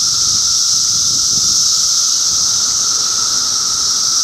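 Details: Cicada chorus from Middlesex County, New Jersey, June 2013: a loud, continuous high-pitched hiss over a sustained lower droning tone, with no pauses or clear separate calls.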